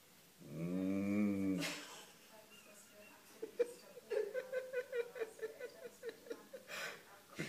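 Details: Beagle Kira, aged nine, gives one low rumbling snore at the start. It is followed by quick soft clicking and rustling breaths in a small quiet room.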